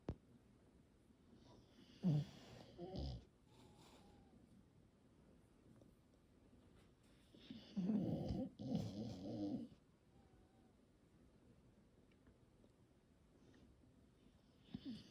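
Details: A sleeping English Bulldog being petted gives low, rattling snores, each a rough, throaty rumble of a second or two, with long quiet stretches of soft breathing between bouts. English Bulldog.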